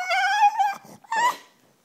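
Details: Female French Bulldog begging for her bone: one sustained, slightly rising whine lasting under a second, then a short breathy sniff and a second, briefer whine that fades out.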